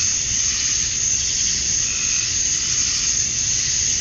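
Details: Cicadas at dusk on a Georgia summer night, males chirping to draw females: a constant piercing high buzz filling the whole stretch, steady in loudness, with a faint lower tone midway.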